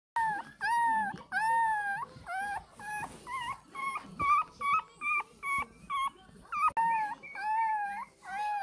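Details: Ppukku, an angry 20-day-old Shih Tzu puppy, cries for milk: high, wavering whines, each bending up then down, repeated in quick bursts with short pauses between.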